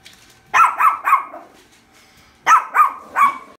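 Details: Shih Tzu pet dog barking at pictures in a dog calendar indoors: two bursts of three sharp, fairly high barks each, about a quarter second apart, separated by a short pause.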